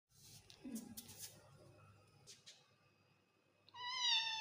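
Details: An odd-eyed baby Persian kitten gives a thin, high meow after some soft rustling and clicks. Persian cat (kitten).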